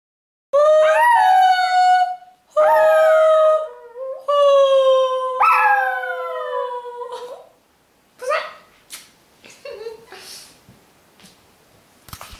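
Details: A Maltese puppy "sings," howling in long, wavering notes that slide up and then fall away.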